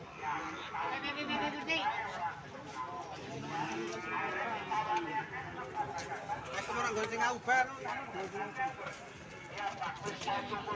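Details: Cattle calves for sale at Sokaraja livestock market in Indonesia: low, drawn-out moos with stacked harmonics, rising and falling, heard through constant chatter of a crowd of men talking nearby, with occasional knocks and bangs.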